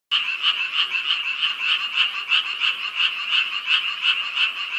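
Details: At night in Yangdong Village, Gyeongju, South Korea, beside a large pond and a yard of lotus and water lilies, frogs call all night in a dense, buzzy chorus of rapid pulses that pours out without a break.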